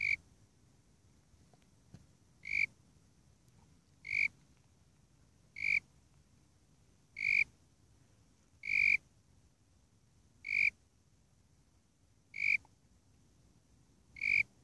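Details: Warrilla imposter cricket, Eurygryllodes warrilla, calling: short pure high chirps, each about a quarter second with bright overtones, repeated roughly every one and a half to two seconds over a faint low background hiss.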